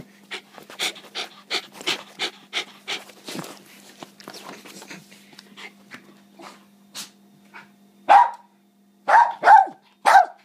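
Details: West Highland White Terrier indoors: quick rhythmic panting breaths at first, a quieter stretch, then three or four loud, short, harmonic barks in a burst near the end.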